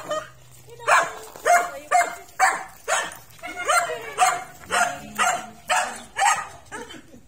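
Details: Miniature Pinscher meeting an American Bully, with a steady run of about a dozen short, sharp barks roughly every half second, fairly even in loudness throughout.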